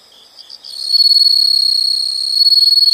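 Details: Insects chirping in nature: after a quiet start, a loud, steady, high-pitched trill sets in and holds, pulsing rapidly and evenly with faint softer chirps beneath, no other sounds.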